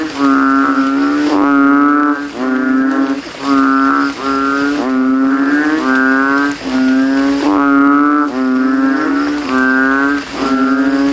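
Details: Banded bullfrogs (kodok kintel) calling from a rain puddle in a cemetery at night after rain. They inflate their throats and compete to call loudest. Deep, bleating, moo-like notes about a second long overlap in a near-continuous chorus.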